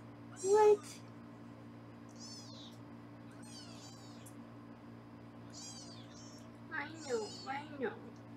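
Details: High, wavering kitten mews repeat every second or two, with a cluster near the end, from foster kittens being weighed in a Los Angeles kitten room on a live kitten cam. A low electrical hum runs underneath.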